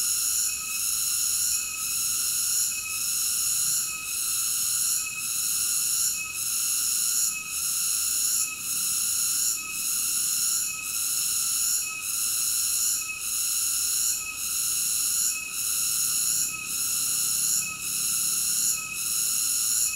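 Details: A continuous shrill cicada buzz fills the recording, pulsing with short regular dips roughly once a second over an unbroken high hiss. Nothing else is audible.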